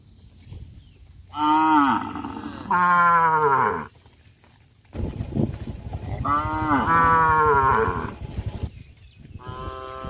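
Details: Village farm cattle herd walking and jumping across a rice field: several long, full-throated moos, two back to back then a longer drawn-out one, over steady rustling and trampling, ending with another moo starting.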